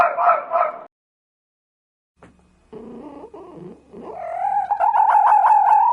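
A fox gives two hoarse barks, then rough lower calls and a long, strained, wailing cry.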